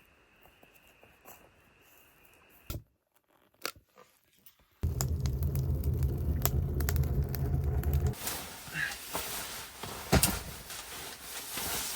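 Scraping, clattering and rumbling work noises indoors, with a steady tone early on and no animal voices.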